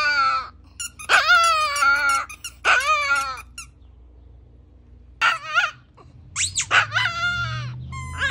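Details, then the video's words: Chihuahua howling indoors: drawn-out, quavering whining howls that rise and then slide down, given in several bursts separated by short pauses, with a low background hum between them. "The BEST howling songs"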